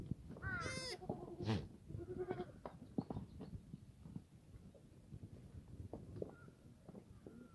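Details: Black goat farm yard in Gimhae, South Korea, on a clear Sunday morning, 31 March 2019. One short, wavering bleat opens the recording. Scuffing, thumps and rustling from the yard follow.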